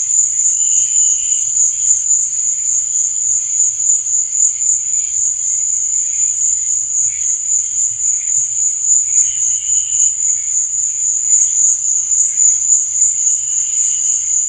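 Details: Night cricket chorus, a continuous high-pitched ringing trill with a slight rapid pulse, joined every few seconds by softer, lower chirping bursts. A faint low rumble sits underneath.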